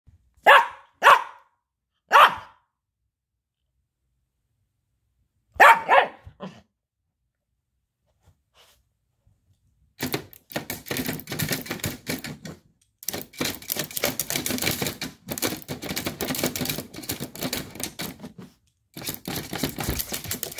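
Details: A Yorkshire terrier attacking a robot vacuum gives several sharp, high barks, followed by a long stretch of harsh rattling noise; Yorkshire terrier.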